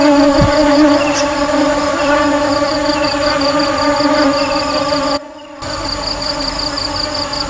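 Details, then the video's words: Steady honey bee hum, a low droning buzz with stacked overtones and a quick fluttering pulse. A short thump comes early. The sound drops out briefly about two-thirds through, then the buzzing resumes. "Tiếng ong kêu"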